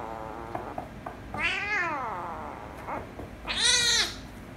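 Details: Kittens meowing indoors, a ginger kitten having angered a rescue kitten: a falling harmonic meow, a brief chirp, then a loud high strained meow at the close.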